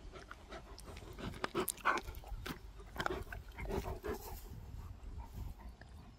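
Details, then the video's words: A pet dog grunting and snuffling while eating and playing: short rough grunts and squeaky nasal snorts in uneven bursts, with clicking mouth noises between them over a faint low background rumble. "Dog ASMR | Grunting, Panting, Eating, Playing"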